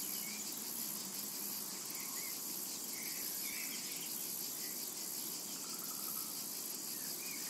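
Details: Cicadas calling in a summer meadow: a dense, steady, high-pitched hissing drone that holds without pause, with faint short chirps from other insects or birds drifting over it.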